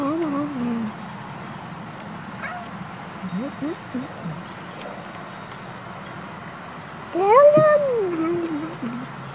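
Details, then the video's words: Cat meowing as it eats, from a compilation of cats and kittens eating. Faint, scattered murmurs give way near the end to one loud, arched meow that rises and falls, over steady background hum. "面白い猫と子猫を食べながら鳴きながらYUM YUM YUMを言って"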